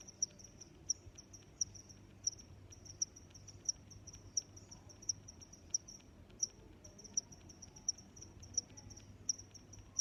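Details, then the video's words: Regular cricket chirping, around fifteen crisp high-pitched pulses at an even pace, each under a second apart, against quiet low-level noise. "Sounds of Crickets"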